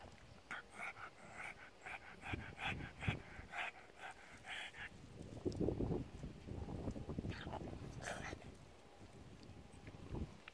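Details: Pug enjoying the sun on a lounger while being stroked; quick panting puffs in the first half, then heavier snorting breaths and rustling close by.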